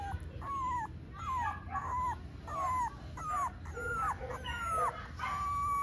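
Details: A small male Italian Greyhound puppy cries with repeated high, whistled whimpers. Each slides down in pitch, and they come in a steady series about once every 0.7 seconds over faint low background hum.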